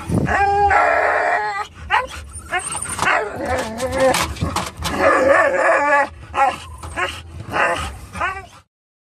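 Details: Three dogs, including a Norwegian Elkhound mix known for whining and howling when excited, yelping in a car on the way to a pet store; sustained wavering howl, then rapid choppy barks and whines over road rumble.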